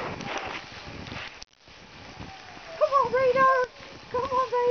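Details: Alaskan Malamutes at Kalamals Kennel, out in the snow, give drawn-out, wavering, howl-like woos in two bursts in the second half. The first half is human talk, with some outdoor rustling.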